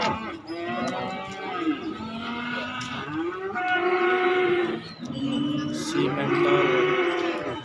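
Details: Several cattle at an Indonesian market for calves and young bulls low repeatedly, long harmonic moos rising and falling one after another over about eight seconds, with market chatter beneath.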